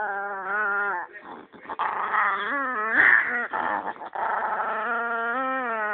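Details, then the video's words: A Chihuahua named Penny keeps up a long, steady, whiny growl for six seconds, its pitch wavering up and down with a brief louder snarl near the middle. "Evil Chihuahua"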